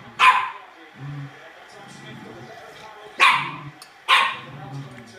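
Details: A Sealyham Terrier gives three sharp, loud barks, one near the start and two close together near the end, with soft low sounds in between.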